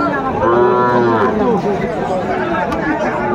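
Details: Busy Saturday cattle market at Aftabganj, Joypurhat, Bangladesh, 17 August 2024, with Sahiwal bull calves on sale; a short, full moo sounds near the start, followed by market chatter and a man speaking.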